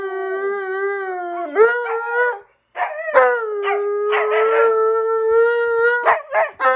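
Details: An Alaskan Malamute howls together with a husky in long, steady, mid-pitched tones broken by short yips.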